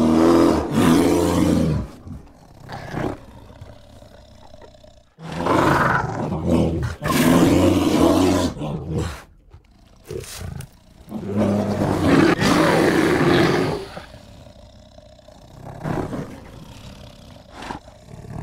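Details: A grizzly bear, recorded in the USA, gives deep, harsh roars in bursts of a few seconds, broken by short pauses.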